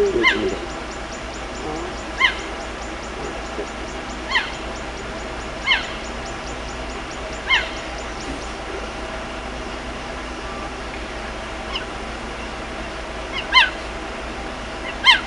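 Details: A cheetah frantically calling its cubs: a series of sharp, high, harmonic chirps, each short and slightly downslurred, repeated roughly every one and a half to two seconds over a quiet, steady background hiss.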